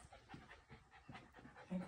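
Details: Miniature Australian Shepherd puppy, tired out after a bout of zoomies indoors, panting in quick, breathy bursts about every quarter second, soft and close.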